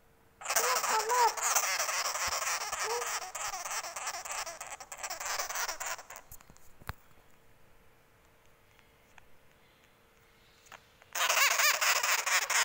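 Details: Baby sugar glider in an angry mood, a dense rasping buzz lasting several seconds, then a pause and a fresh burst, while a woman speaks softly over it indoors.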